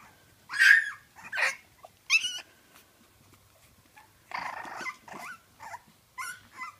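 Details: French Bulldog puppies give high, squeaky squeals and yelps in uneven bursts separated by short quiet gaps, one call noisier and broader than the rest.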